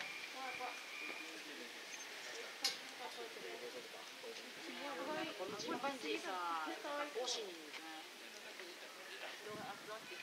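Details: At Maruyama Zoo in 2021, chimpanzees greet zoo staff they had not seen in a long time. Their excited calls rise and fall in quick tonal bursts, then swell into wavering hoots, with human voices and outdoor hiss.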